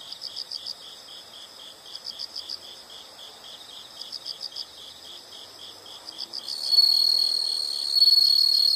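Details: High insect chirps come in quick rhythmic groups of pulses, later overlaid by a louder, continuous shrill trill that swells near the end.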